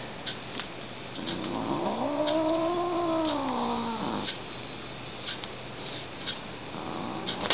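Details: Pet female cat kept indoors wails in displeasure after being tapped, one drawn-out yowl lasting about three seconds that rises, wobbles and sinks again like a theremin, with light tapping clicks around it.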